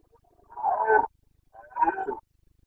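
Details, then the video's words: Carpathian red deer stag bellowing in the rut in the mountains of Bucovina, Romania, late September 2022: two rough, throaty roars, each around half a second, with a short pause between them. "Boncănit / Carpathian stag Breeding season"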